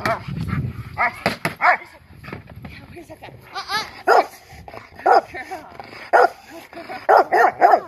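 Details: A female Rottweiler in protection training gives deep, forceful barks about once a second, with a person speaking between them.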